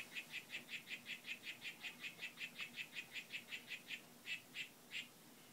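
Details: Harlequin poison frogs, Whitefoot form, in a displaying and courting group: rapid repeated buzzy notes at a steady pace that slows near the end into a few spaced chirps before stopping.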